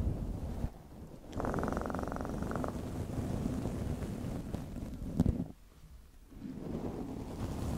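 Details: Domestic cat purring up close, a steady low rumbling throb that fills the recording, with a brief brighter buzzy stretch near the start, a sharp click midway and a short quieter pause.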